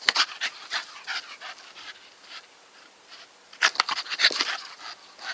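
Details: Staffordshire Bull Terrier named Nikita breathing hard, rapid airy pants rising and falling in loudness, quieter in the middle stretch, then a flurry of sharper huffs and snorts.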